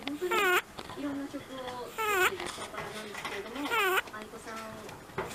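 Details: Simba, an 11-year-old domestic rabbit who now snores in his sleep, makes high squeaky 'pii-pii' breaths. Three wavering whine-like squeals sound about 1.8 seconds apart, with softer nasal murmurs between them in a small room.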